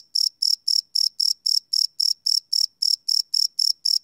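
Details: Crickets chirping at night, recorded live on a field recorder: bright, high-pitched pulsed chirps repeated steadily about four times a second, each a short buzzy burst, with no other sounds.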